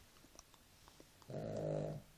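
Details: Sleeping dog named Nela gives a single low, rasping snore about a second long after a quiet stretch, indoors.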